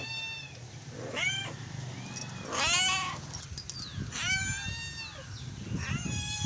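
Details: Cat meowing for food in the morning. Several clear, arched meows, some short and some long, over a steady low rumble of background noise.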